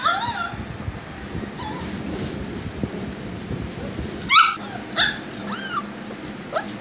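An English Cocker Spaniel puppy gives high, rising-and-falling whimpers and short yips over a steady background hiss.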